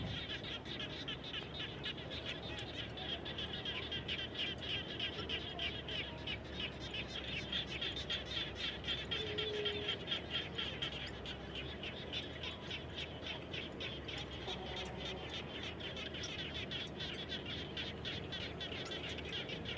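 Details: Many frogs calling around a home after rain: a dense, steady chorus of rapid pulsed croaks and rattling trills overlapping continuously, with no pauses and a faint low hum beneath.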